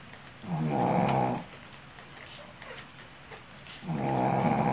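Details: Sleeping Shih Tzu mother, tired after tending her puppies, gives deep buzzy snores: one steady rasping breath near the start and another toward the end, separated by a quiet pause.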